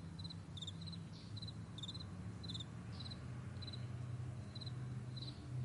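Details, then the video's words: Crickets in a morning meadow giving sparse short high chirps, each a tight cluster of pulses, partly masked by a loud low engine-like drone throughout. "Morning Crickets"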